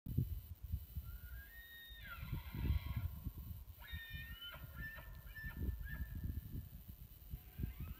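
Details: A bull elk, answering a call and signalling he will come all the way in to the caller, bugles a squealing whistle that climbs steeply, holds high, then drops away; phone recording through a spotting scope.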